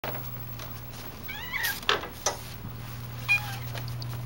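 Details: Young calico kitten indoors, trying to say "out": a short, wavering, rising-falling meow followed by a few clicks and knocks, then a faint brief squeak, over a steady low hum.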